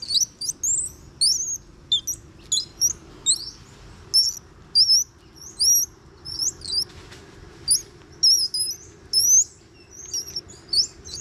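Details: Juvenile Bolivian squirrel monkeys, one to two years old, grappling and playing together at Ishigaki Yaima Village, Ishigaki Island, Japan; clustered bursts of piercing, bird-like chirps and upward-sweeping squeaks, some overlapping, with a soft low hum beneath.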